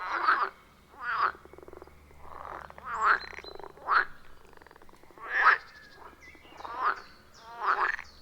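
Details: Frogs calling at a wild forest pond, captured on an iPhone 14 Pro with a Shure MV88+ microphone; separate loud croaks roughly every second, each a short rasping burst, with softer calls between.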